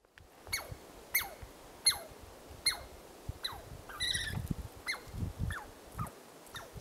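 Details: Douglas squirrel alarm calling at Carpenter Saddle, Carpenter Mountain, H.J. Andrews Experimental Forest, Oregon, USA: sharp descending chirps repeated roughly every 0.7 seconds, about nine in all, with a burst of rougher, buzzier notes near the middle over soft rustling background.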